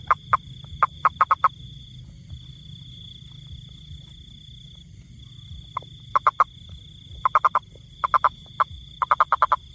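Toad calls come as sharp, knocking croaks grouped into rapid bursts, with silent gaps of a second or more between groups. A steady, thin high-pitched whine runs underneath, likely an insect.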